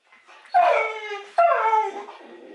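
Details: A Cane Corso dog: two loud, drawn-out whining cries in quick succession, each starting sharply and sliding downward in pitch with rich harmonics, then fading into a softer whimper.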